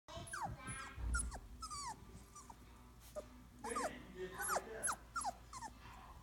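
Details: Female red abstract Standard Poodle puppy, 27 days old, healthy and thriving: thin high squeaks sliding downward, several per second in irregular bursts, soft over a low background hum.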